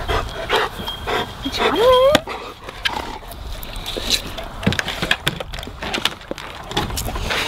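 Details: Labradors munching and gobbling a juicy watermelon: sharp, wet crunching clicks scattered throughout, with a brief rising squeaky whine just before two seconds, then more sporadic bites and smacks.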